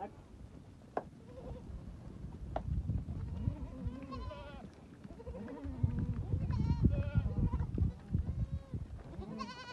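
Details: Bishi goats in a herd of 82 with 40 kids, some adults and three bucks, offered for sale at Duqa: several wavering, quavering bleats overlap, with a man's voice and clattering noise nearby.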